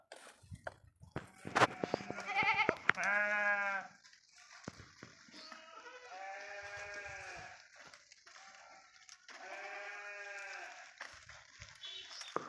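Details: Sheep grazing in a forest: a flock gives long, quavering bleats, a loud one early, then several drawn-out overlapping calls, with sharp clicks and knocks at the start.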